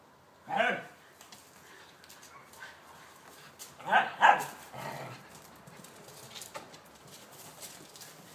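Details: Two pet whippets, Blu and Digz, playing chase in a garden; a short burst of sharp barks near the start, then a quick double bark around the middle, with faint rustling between.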